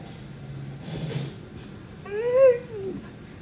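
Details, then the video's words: Mandi, a female Boxer dog, talks back after being told no when she can't move her sister from the couch; a short rising-then-falling whining moan follows a woman's firm "No." "Boxer Dog Can't Believe She's Told No!"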